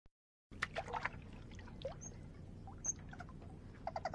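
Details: Eurasian otter in the Deep Bay area, Hong Kong, gives brief, high, thin whistled chirps over a steady wash of trickling water; the species is vocal, using varied sounds to communicate with companions.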